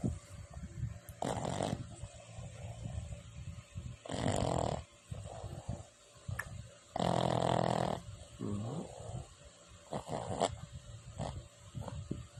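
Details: Boston terrier snoring: harsh, rasping, noisy snores of uneven length, roughly every three seconds, with softer breathy sounds between, over a steady faint high hiss.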